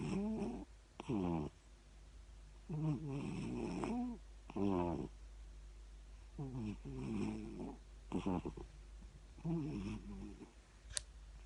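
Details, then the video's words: Siamese cat asleep and snoring, giving buzzy, wavering, harmonic snorts in uneven bursts one to two seconds apart, with quiet pauses and a faint click near the end. "Siamese cat snore"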